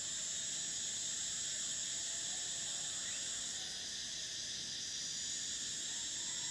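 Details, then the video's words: Cicadas singing in summer: a continuous, very high, shrill buzzing drone that holds steady throughout, with a slight shift in tone near the middle and no pauses. "Cicadas: the sound of summer"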